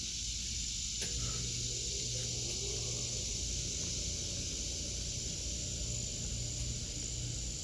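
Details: August 2023 garden with cicadas droning: a dense, hissing high buzz runs steadily throughout, with a single sharp tap near the start and a low hum in the background.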